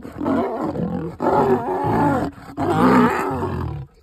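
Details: Lioness in Nairobi National Park, Kenya, fending off a male lion attempting to mate; three long, deep, raspy growling roars with brief pauses between them.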